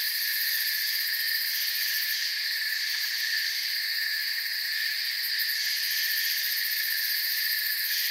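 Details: Crickets in a forest setting, a dense unbroken chorus of many high, shrill trills stacked in several pitch layers, steady throughout with faint flickering pulses near the top; no other clear sounds.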